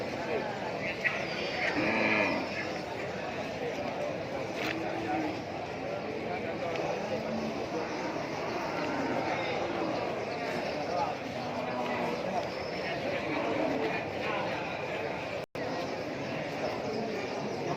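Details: Brahman cattle held as Qurban stock at the Sibreh animal market, Aceh Besar, Indonesia, after Eid al-Fitr 2021: several low, drawn-out moos scattered through constant market chatter and human voices.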